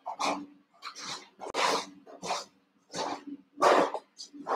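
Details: Cavalier King Charles Spaniel puppies, three of them, born June 2022 with ruby and Blenheim coats, recorded overnight on a puppy cam; short yelping and whining bursts come in uneven clusters, with a steady low hum in the background.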